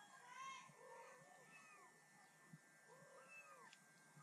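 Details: Kitten and mother cat talking to each other: several short, soft mews with a rising-then-falling arc, spaced irregularly over four seconds, quiet against a faint steady hum.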